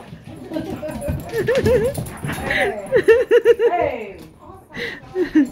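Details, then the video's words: German Shepherd described as hyper, with a Shepherd mix present, giving a string of bouncing, wavering whines and short yelps in rapid series, rising and falling in pitch, mixed with people talking. "Hyper German Shepherd and Shepherd Mix"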